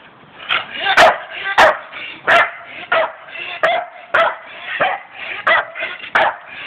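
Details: Pet Staffordshire Bull Terriers, including Alfie, playing; sharp yips and barks repeated roughly every half second to second, mixed with growly grumbles between them, some sharp knocks from the dogs' movement.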